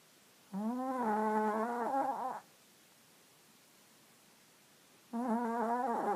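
A Chihuahua–Jack Russell cross snores in long, squeaky, whistling tones, like air escaping a balloon.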